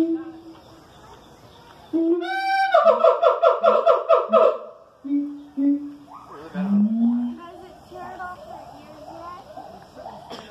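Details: A siamang at the Columbus Zoo calls in the morning, bursting into loud, rapid, ringing barks, then lower hoots and a rising whoop.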